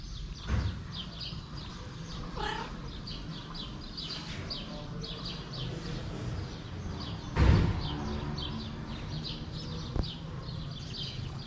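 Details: Hungry stray cat giving a single short meow that rises then falls, with a few fainter sounds around it, over steady high chirping of small birds and low background rumble.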